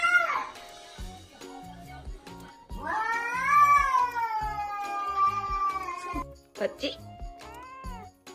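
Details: A cat makes a brief meow, then a long, arching, sustained cry and a few short meows at the end, over rhythmic music with a steady beat.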